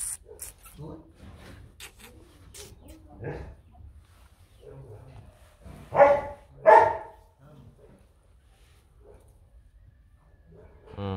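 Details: Rottweiler at a kennel in Vietnam that has a litter of puppies from Bruno Slenio and Hanna Gervi; two loud, sharp barks about a second apart stand out over quiet murmuring voices and faint background noise.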